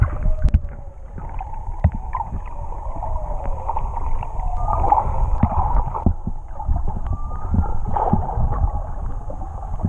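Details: Whales singing underwater off Tonga, recorded while swimming with them, sound left unaltered: drawn-out tonal moans that waver and glide, one rising whistle-like sweep near the end, over a steady wash of low water rumble and clicks.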